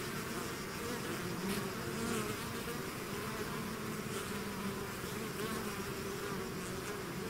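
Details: Continuous droning of a bee swarm emerging from its hive, thick and even throughout, with faint passing buzzes of individual bees flickering over the low mass of sound.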